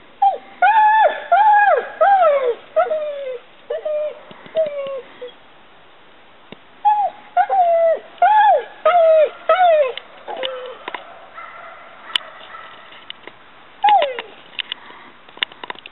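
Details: Mastiff named Maly giving high, whining whimpers, each a short arched cry that rises then falls, in quick bursts of several cries, pausing around the middle before a final lone whine; indoors, little else audible.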